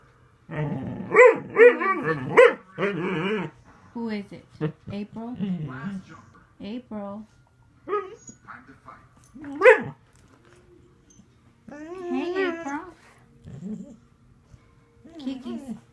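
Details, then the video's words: Upset house dog protests as another dog tries to get on the bed. Rapid, choppy, talk-like yowls and short barks are mixed with a person repeatedly asking what is wrong, followed by later wavering moans. "Talking dog"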